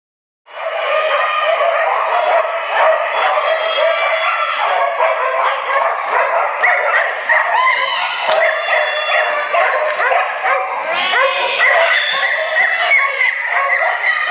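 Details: Dogs barking during a flyball tournament race at an indoor ice arena in Dover, New Hampshire, April 2011: dense, overlapping sharp barks from many dogs, continuous throughout, mixed with arena echo and crowd noise.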